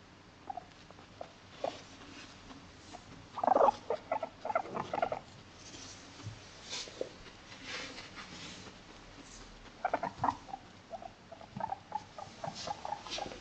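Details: A female Abyssinian guinea pig living in an apartment home makes everyday chatter: soft, scattered short squeaks and chirps, with a louder burst around the middle and another near the end, over a quiet indoor background.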